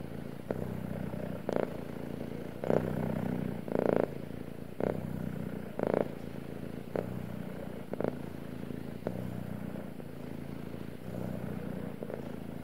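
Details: Deep, even purring from a male cat, a low rumbling drone running throughout, punctuated by short louder breathy bursts recurring at roughly one-second intervals.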